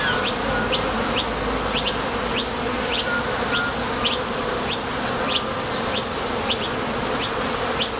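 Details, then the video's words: Honey bees at a top bar hive entrance, taking off and landing on trips for nectar, produce an unbroken vibrating hum. Short high chirps punctuate it roughly a hundred times a minute. "Bees Sound Effects | WHITE NOISE | RUIDO BLANCO RELAJANTE Sonido de las Abejas"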